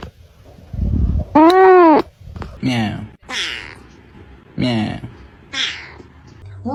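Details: Cat giving a loud arched meow that rises and falls, followed by several shorter, rougher meows mixed with low thumps and nearby voices indoors.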